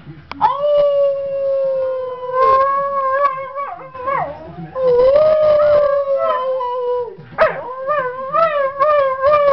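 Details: Dog howling: long, sustained, wavering howls that rise at the start, hold a steady tone, then dip and rise again, with brief breaks between phrases.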